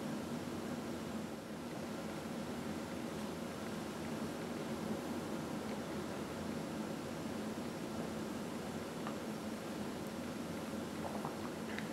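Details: Only steady fan-like indoor hiss fills the recording, with a faint low hum and a few tiny rustling clicks.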